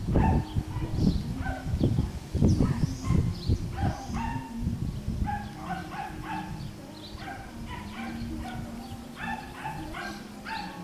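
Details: Schnoodle puppies, a Miniature Schnauzer and Miniature Poodle cross, playing together on an Iowa farm. They give rapid, high, squeaky yips and short whines in irregular bursts over low rumbling scuffles and thumps of play.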